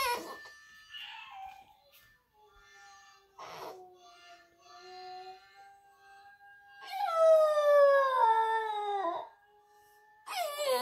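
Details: Boxer puppy howling along to a recording of another puppy howling played in the background; a soft faint tone, then a loud falling, harmonic-rich howl for about two seconds, followed by another loud burst at the end.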